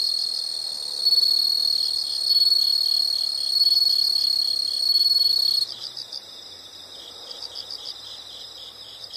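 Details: High-pitched insect chorus from a relaxing nature soundscape: a loud continuous trill pulsing in swells about every one and a half seconds stops abruptly, replaced by faint clustered chirps repeating in short groups.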